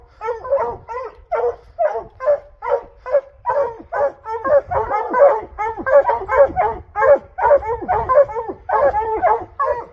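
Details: While hunting in Utah's Rocky Mountains, hounds bay in a rapid, overlapping chorus of loud, hoarse barks on the trail of a mountain lion.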